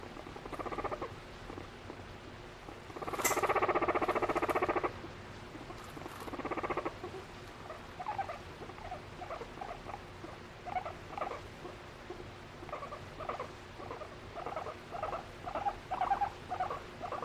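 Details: Pet guinea pig, female, affectionate toward her owner and expressing emotion through varied calls, indoors; a loud buzzy burst near three seconds, then soft rapid chuttering purrs and short squeaky notes repeated in quick pulses throughout.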